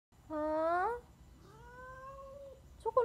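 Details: Angry Siamese cat just after a bath: a loud, rising tonal meow lasting under a second, then a quieter, long, level, drawn-out wail with clear overtones. A faint steady high hum runs underneath.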